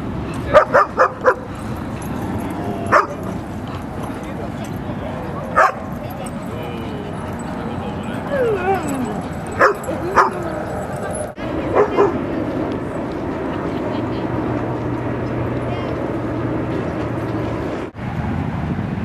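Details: Dogs Rosy and Rocky playing at Seal Point Dog Park, on the western side of San Francisco Bay, on 22 December 2014. Quick bursts of sharp barks and a few whines are heard over people talking and a steady low background rumble.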